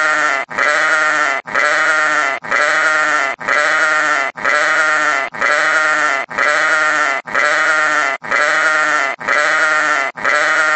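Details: Steady run of sheep bleats, each a drawn-out wavering 'baa' lasting nearly a second, separated by short silences, about eleven in sequence, with nothing else audible.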